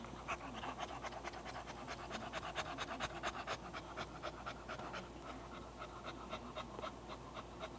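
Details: English Bulldog named Bella or Killer, excited, breathing hard indoors: rapid rhythmic panting, about two breaths a second, broadband rasping pulses with a low steady hum underneath.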